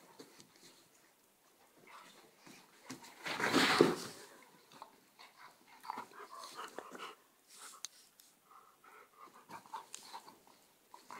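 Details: Border collie in an attack involving a Czechoslovakian wolfdog: a loud harsh rasping burst of breath and growl around the middle, then quieter panting and irregular scuffling noises.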